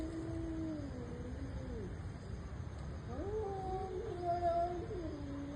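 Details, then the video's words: Domestic cats fighting: two drawn-out yowls, the first sliding downward and fading, the second rising into a wavering, strained howl that peaks loud before dropping again, with low rumbling background noise. "Cats and their personal intense fight"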